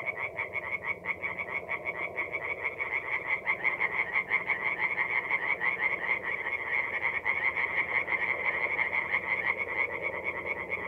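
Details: Night chorus of tree frogs at a forest pond in North-East Italy, mid-April: many frogs croaking at once in quick, rattling pulses, slightly irregular as the voices overlap, forming a continuous bright trill.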